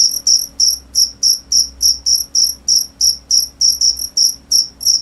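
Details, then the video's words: Cricket chirping: loud, high-pitched pulsed chirps repeated about three times a second in a steady rhythm, each chirp a short trill with a fainter upper overtone; faint low hum underneath. "cricket sound"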